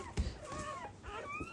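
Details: Black Labrador Retriever puppy just born during its mother's first whelping and needing emergency revival; a soft thump, then high drawn-out whimpers that rise and fall, indoors in a small room.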